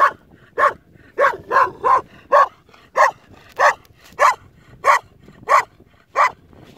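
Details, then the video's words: Lone Kangal puppy protecting a sheep herd barks repeatedly, around twelve short yapping barks spaced about half a second apart with brief gaps, against a faint background. "Sürüyü tek başına koruyan yavru kangal"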